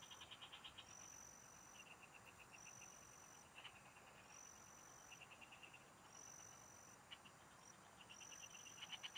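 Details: Frogs singing in farm fields, recorded while the recordist was fishing: short rapid pulsed trills, high and rattling, repeated every second or two, with thin steady high whines overhead and a faint hiss throughout.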